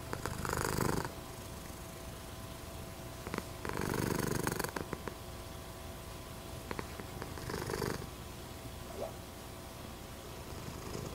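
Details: Silver patched tabby American Shorthair cat purring close up, a continuous low vibrating rumble broken by three louder rasping surges of roughly a second each, like slow breaths.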